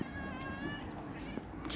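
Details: Domestic cat in Givat HaMore, Afula, Israel, meowing while waiting to be fed; one drawn-out harmonic meow, steady then fading, against a broad background hum.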